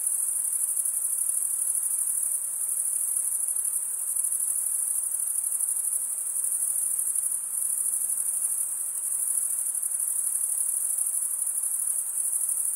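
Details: Crickets chirping in a steady, unbroken high-pitched trill that holds at one shrill pitch throughout, with a faint soft hiss beneath and no other animals or voices.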